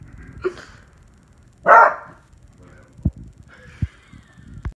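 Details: A 1-year-old beagle gives a brief, loud, tonal yowl, with a softer yip just before it.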